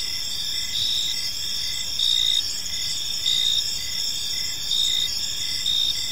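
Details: High, shimmering cricket trills in a park at evening, with louder bursts rising roughly every second or so over a steady insect chorus.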